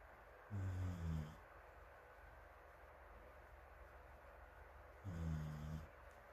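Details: Morimori the dog, deeply asleep on a sofa with a fan blowing on it in Hamanaka, Hokkaido, 21 June, other dogs including rescued puppy Taisetsu sleeping alongside, filmed from a distance: two throaty, buzzing snores about four and a half seconds apart, fan hiss throughout.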